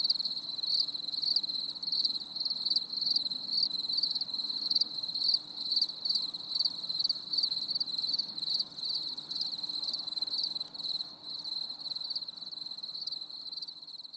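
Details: Crickets chirping on a stormy summer evening, a high, shrill trill broken into rapid, evenly repeated pulses, several each second, ongoing without pause over a faint low background hiss.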